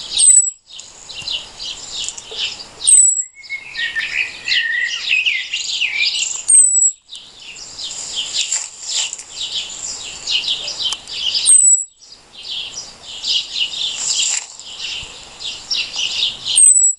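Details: An unknown insect calls by day with a piercing, unmodulated, saw-stroke note. Long stretches of dense high buzzing are broken by short silences every four to five seconds, and thin falling whistles come at the breaks.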